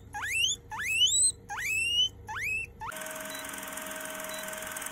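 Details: A young grey guinea pig gives four loud, rising squealed wheeks in quick succession as a hello greeting, its ears wiggling as it calls.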